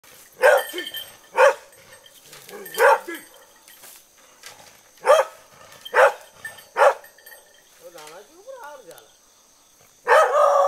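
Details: A trainee hunting dog barking from a distance at an 85 kg wild boar caught in a snare in a bamboo grove in Innoshima, Japan, on 6 September; sharp barks repeated about every second, some doubled, with a person speaking near the end.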